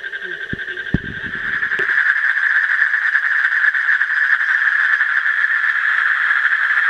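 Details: Asian common toad trill swelling in after a couple of seconds of knocks and handling sounds, then continuing as a loud, rapid, evenly pulsed churring call.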